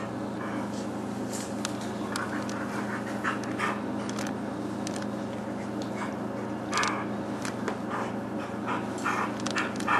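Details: Chloe, a female puppy almost seven months old, pants indoors in quick, irregular breathy bursts, roughly three per second, over a steady low mechanical hum.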